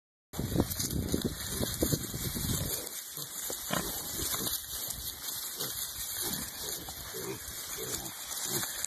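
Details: Hereford piglets rooting around in the dirt in early spring, giving short, low grunts scattered irregularly through the recording over steady scuffling and background noise.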